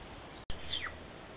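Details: A cougar, caught on a forest game camera, gives a single thin, bird-like chirp that slides quickly downward as a form of communication.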